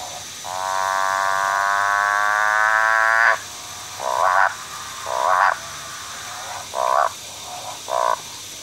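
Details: A motorbike frog (Ranoidea moorei) gives a long, buzzy, gradually rising drone, then several shorter upswept notes about a second apart, like a motorbike revving and changing gears, over a quiet background.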